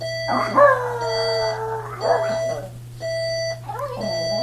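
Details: Pet Chihuahua howls in response to a beeping alarm clock, a long drawn-out howl that slides slowly downward, then a shorter wavering howl, with the alarm's bright repeated beeps and a low steady hum underneath.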